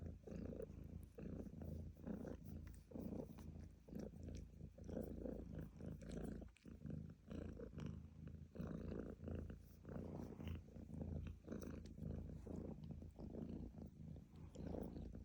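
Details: A cat purrs on and on, a grainy low-pitched rumble rising and falling with each breath in a steady rhythm, a short dip near the middle, otherwise unbroken.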